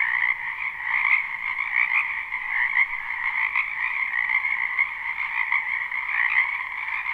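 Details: Spring frogs croaking in a wetland behind a house, recorded live without looping: a dense, continuous chorus of overlapping trills in two bright bands, mid and higher pitch, steady throughout with no other clear sounds.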